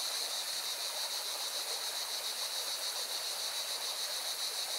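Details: Beside a mountain river in Valencia, Spain, cicadas keep up a bright, sustained buzzing drone pulsing several times per second, blended with the loud, constant rush of the stream.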